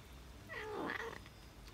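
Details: A tabby cat eating cheese gives a brief, tonal mew that dips and then rises again.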